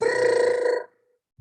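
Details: Gray treefrog (Hyla versicolor), call.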